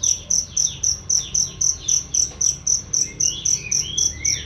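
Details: Cricket gives high, bright, loud and clear chirps, repeated steadily about four times a second, a recording used for training songbirds.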